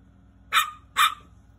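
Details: Angry little dog giving two sharp, harsh barks about half a second apart, each a short burst with no other sounds.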